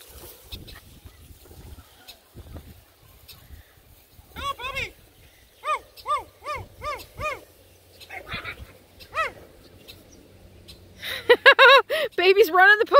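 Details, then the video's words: Redbone Coonhound puppies romping playfully with a Bluetick Coonhound puppy: high, arched yelps come in bursts, a run of five evenly spaced cries midway, then frantic overlapping yelping at the end, with soft human talk early on. "Redbone Coonhound puppies romp with a Bluetick Coonhound puppy!"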